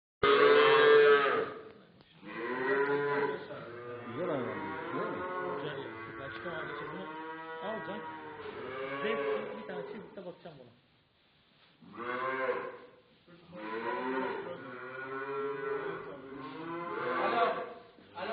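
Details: Cattle, calves, heifers and young bulls, at a livestock sale market in Kars, Turkey, give long, drawn-out harmonic moos one after another, with a brief quiet gap midway before more lowing resumes.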